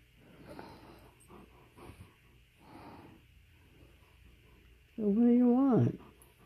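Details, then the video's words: Male Alaskan Malamute vocalizing to tell his owner what he wants, such as food or going out: one loud, sustained, harmonic moaning sound lasting about a second, wavering slightly then dropping at the end, after a person's soft questioning speech. "Malamute Tells Me What He Wants & Doesn't Want!"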